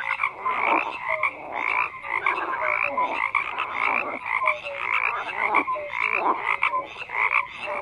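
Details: Many frogs croak together in a thick continuous chorus, raspy pulsed calls piling up, with brief sliding whistle-like notes repeating roughly once a second beneath.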